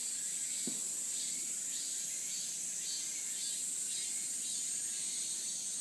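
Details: Continuous shrill buzzing of cicadas on a mountain path with a cool wind, the high drone unbroken throughout, softer throbbing pulses underneath and one brief low sound early on.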